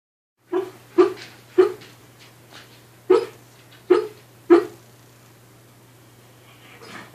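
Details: Dog barking while dreaming in its sleep, recorded in 2015: six soft, muffled woofs, each a short low burst, coming at uneven gaps of about half a second to a second and a half, then quiet. A steady low electrical hum is heard throughout in a small room.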